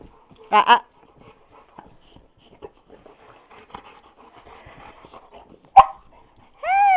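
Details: Pet dog vocalizing while playfully biting the ear of its big brother, another household dog; short harmonic whines and yelps at about half a second, near six seconds and at the end, with a woman talking softly between them.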